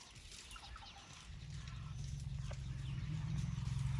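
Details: Elephants from a herd right outside a tent at night in Tarangire National Park, Tanzania, give a deep, low purring rumble that swells steadily louder over four seconds, with faint bird chirps above.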